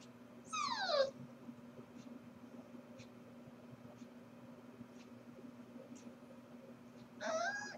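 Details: Corgi puppy left alone indoors while its owners are at work, filmed on 4/21: two drawn-out whines, each sliding steeply downward and lasting about half a second, roughly six seconds apart, over a steady low electrical hum and faint ticks.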